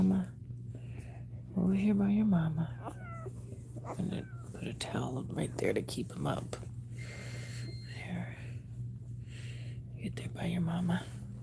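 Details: Cane Corso crying indoors while another dog is in labour: one loud, wavering, nasal whine early on, then a few short whimpers, with people talking throughout over a steady low electrical hum.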